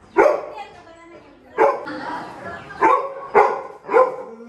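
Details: A Labrador Retriever at a village house gives a series of loud, sharp barks, shocked at the arrival of an old friend, with people talking in the background.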